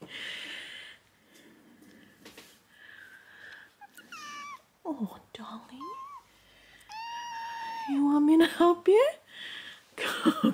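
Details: Kitten in bed meowing, asking to be escorted downstairs or to have milk brought up: several drawn-out meows swooping down and up in pitch, loudest near the end, with soft speech from a person at the start.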